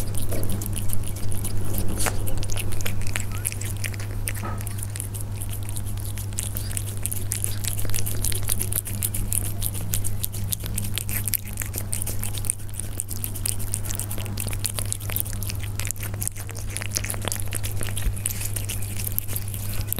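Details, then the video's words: Persian cats eating, heard up close: dense, irregular crunchy clicks and snaps of chewing run through the whole stretch over a steady low electrical hum. "The sound of Persian cats when they eat"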